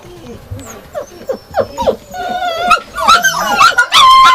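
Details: Yakutian Laika starting with soft scattered whimpers that grow into louder, higher yelps and drawn-out whining tones. Several voices join, and the calling becomes loud and continuous by the end.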